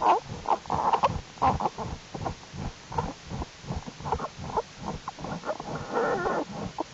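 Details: American black bear cubs in Jewel's winter den, January 2012, crawling about as warm weather keeps the den active: rapid choppy grunts, squeaks and whimpers packed closely together, with low rumbling underneath.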